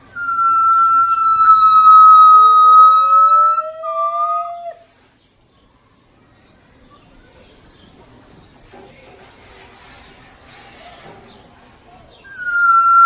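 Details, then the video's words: Gibbons at the Los Angeles Zoo: a loud, held whistle over a lower, steadily rising call for nearly five seconds, then quiet with faint crowd murmur, before a fresh high tone begins at the end. "テナガザルの鳴き声 gibbons"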